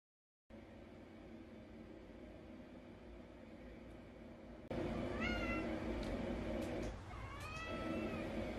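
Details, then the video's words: Mong, a neutered male Munchkin Napoleon cat born January 2018, indoors meowing at its owner to beg for treats: two drawn-out, harmonic meows that rise then fall, over loud steady background noise. "주인 찾아와 간식 달라고 보채는 귀여운 고양이"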